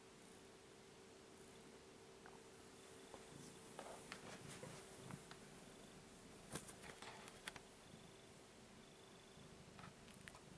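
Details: Indoor kitten seeking petting gives a continuous low, rattling purr, broken by scattered clicks and rustles of handling or movement, with a steady background hum.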